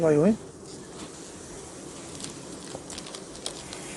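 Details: Honey bees at a beekeeping yard hum in a steady low drone after a brief burst of spoken Korean, as the contents of a hive are shown.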